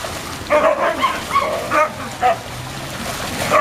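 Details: Siberian Huskies running and playing happily give a series of short, gruff play-growls, about five bursts in under four seconds, over steady wind-like background noise.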